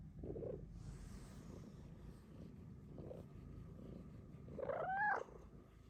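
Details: Female pet cat indoors seeking cuddles from her owner, with a low soft purring rumble throughout, then one short rising-falling chirping meow near the end; quiet room background.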